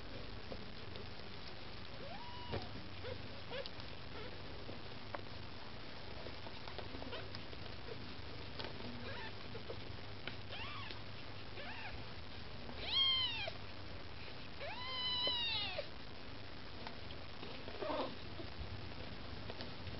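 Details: Maine Coon kittens with their mother Lakshmi, mewing while trying to get food; a few thin, arched meows, rising then falling, stand out near the middle and end against a quiet, low background hum.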